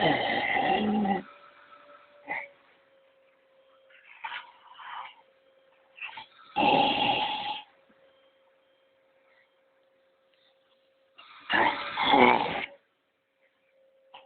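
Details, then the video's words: A Labrador Retriever sounds off at a vacuum cleaner with three long, rough, growly barking bursts about five seconds apart, each roughly a second long, with a few softer yips between and a constant low hum underneath. "Лабрадор + пылесос"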